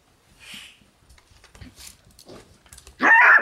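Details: Shiba Inu puppies, two brothers born on 16 September, on their first time in the room while older dog Yuu, born 12 July, pesters them; faint shuffling and soft sounds, then one loud, high yelp to close.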